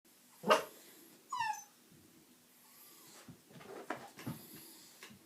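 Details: Alfie, a pet dog, reacting on spotting a bearded dragon: one sharp, loud bark, then a short high whine that slides downward, followed by softer huffs, snuffles and light knocks.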